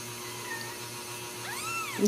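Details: Ragdoll kittens, newborn, at a home cattery in central Kansas where they are raised without cages: a single thin, arched mew near the end, rising then falling, over a steady electrical hum.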